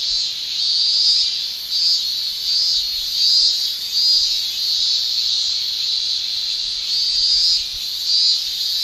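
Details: Japanese cicadas in summer, males shrilling via the tymbal: a loud high buzz rising and falling in pulsing swells about once a second over a constant droning chorus.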